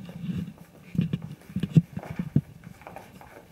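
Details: Five-week-old Kooikerhondje puppies from Quita's litter goofing around indoors: low, rough growly bursts come in uneven clusters, several sharp louder grunts standing out near the middle, with soft rustling between them.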